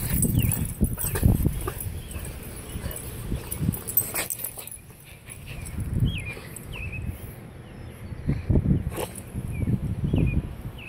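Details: Male Boston Terrier, a pet dog, in his pre-walk ritual: repeated low, rough snorting grunts in bursts about every one to two seconds, separated by quieter pauses, with faint high chirps in the background.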